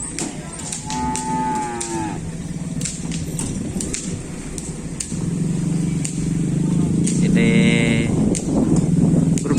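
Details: Cattle at a kerapan sapi bull race at Griduh Onggu, with a team from Sapudi: low drawn-out lowing under a noisy crowd, with shouting, music and higher whistling tones around the event.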